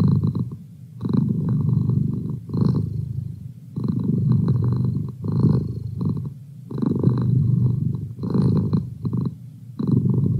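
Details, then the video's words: Male pet cat purring indoors as a study companion: deep low rumble in rhythmic bursts of about a second, each separated by brief quiet breaths, with a faint higher buzz layered over the throbbing. "Cat Purr"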